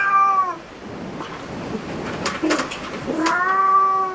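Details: Inside a cat cafe, a cat meows once at the start and again near the end, both clear harmonic calls, with clattering and tapping sounds in between.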